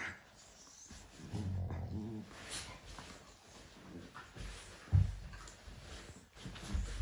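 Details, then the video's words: A morning sparring routine between Cane Corso puppies, heard as a deep harmonic growl drawn out for about a second, then low grumbles and a sudden thumping grunt later on. "Cane corso puppies morning sparring routine"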